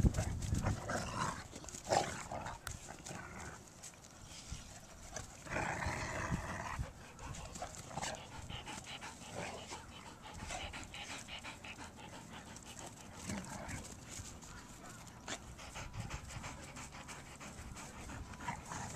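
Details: Two big dogs, a Great Dane and a Great Dane/hound mix, romping together on a spring day. Scuffling, breathy panting-like noises and a short rough broadband burst mid-way over steady background noise.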